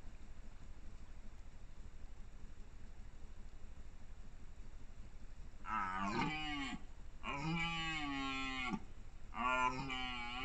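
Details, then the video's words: Quiet start, then a red deer stag in the 2021 rut gives three loud, deep, harmonic roars, the middle one longest at over a second, with short pauses between them. "Rykowisko 2021 - romanse byków w pełni"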